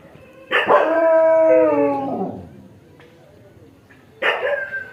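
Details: Dog giving a long drawn-out harmonic howl lasting about one and a half seconds, sliding downward at the end, followed after a pause by the start of a second rising cry.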